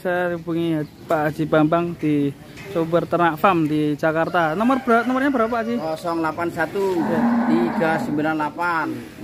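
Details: Very large fattened cattle in Indonesia, a candidate for the Qurban sacrifice, giving low, drawn-out moos amid steady people's chatter and voices close by.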